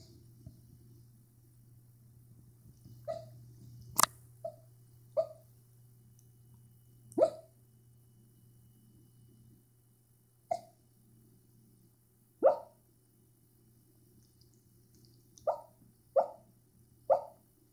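A sleeping dachshund gives soft, short hiccup-like yips at irregular intervals over a low steady hum.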